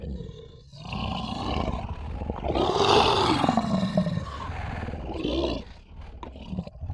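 A lion growls deeply, a long rumbling snarl that rises and then slowly falls away.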